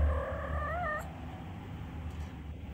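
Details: Zoro, a male Minuet (Napoleon) cat, giving a very soft, short meow that wavers and then rises at the end, lasting about one second, over a low indoor rumble.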